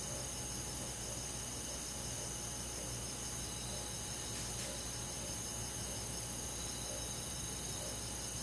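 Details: Crickets and other insects on a summer night in a forest, a steady high ringing trill held without break, layered with fainter shimmering insect tones and a low constant hum underneath.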